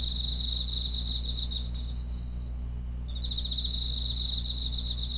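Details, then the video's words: Insects chirping in a steady chorus: a continuous high band near 8k with pulsed trills around 4k, several callers overlapping, over a constant low hum. "풀벌레 소리"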